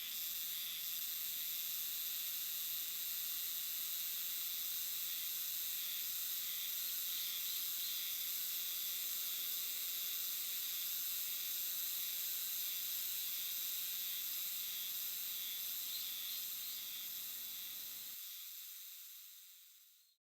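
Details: Himeharuzemi cicadas (Euterpnosia chibensis) in a great chorus in the dark woods of shrines and temples, a dense, unbroken shimmering hiss filling the high range, steady throughout before fading at the very end.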